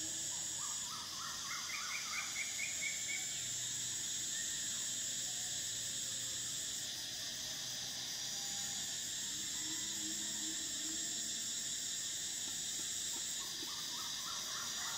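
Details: Summer cicada chorus: a steady, intense high-pitched whine that shifts slightly in tone. Rapid ascending series of short chirps from another creature sound at the start and again near the end.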